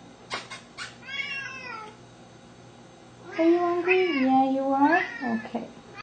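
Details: Two hungry pet Siamese cats, a four-year-old seal point male and a two-year-old blue-lilac point female, meowing indoors before feeding: one short falling meow, then a long wavering loud meow with a quick trailing call; a woman talks between.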